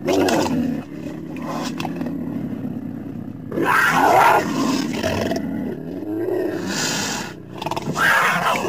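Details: Cougar, or mountain lion: harsh, raspy growls and snarls with strong harmonic layers, starting in loud bursts, easing into a lower rumble, then rising again in sharp, strained cries near the end.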